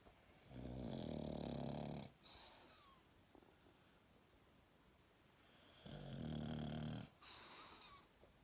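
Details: A sleeping English bulldog snores in long, rumbling breaths, each lasting over a second.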